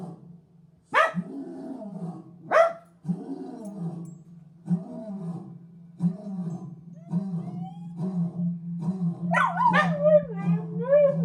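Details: One-year-old rescue dog of mixed chihuahua, pitbull, German shepherd, Jack Russell and rat terrier breeding howls at a lion; rough low barks and growly yelps build into wavering, rising howls with several harmonics near the end, over a steady low hum.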